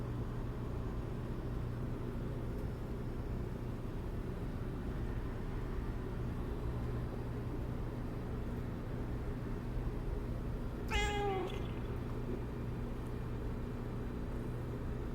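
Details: Pet cat letting out a single brief meow partway through, starting high and sliding downward, amid constant low-pitched background hum and otherwise quiet surroundings.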